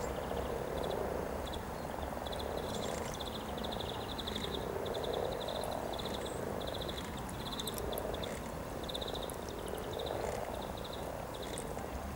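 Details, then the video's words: Low, rolling purrs from hundreds of mating frogs near Cow Tower along the Norwich riverside, 7 April 2013, swell and fade in waves, with a near-constant string of high pulsed trills overhead. "Frogs mating near Cow Tower in Norwich"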